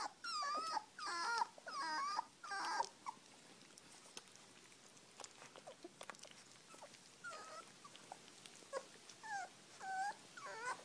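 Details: Puppies being fed give high, whiny whimpers with rising and falling bends, in clustered bursts at the start and again near the end, separated by a quieter stretch of soft clicking and smacking sounds.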